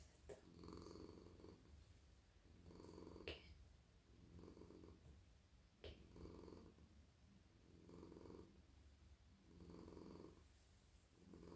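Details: Friendly, very soft male domestic cat purring while melting in a lap at night as his head, neck and body are stroked; steady low rumbling purr swelling and fading with each breath about every two seconds, with faint brushing and rustling from petting.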